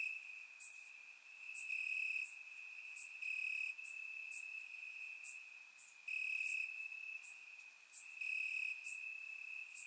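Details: Warm summer night in Bulgaria with crickets chirping in the grass; an unbroken high-pitched trill rises and falls in loudness, punctuated by short intense bursts and faint high ticks.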